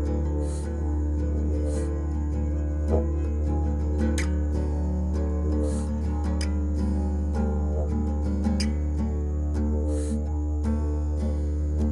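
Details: Steady guitar-led instrumental music with sustained low tones and plucked notes throughout; no animal voice stands out.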